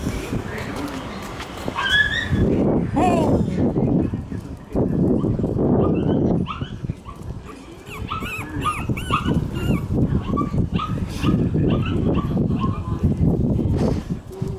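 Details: Shiba Inu puppies born on 5 and 9 June, out on their first short outdoor outing; many brief high yips and whimpers come in quick bursts while people chatter over them.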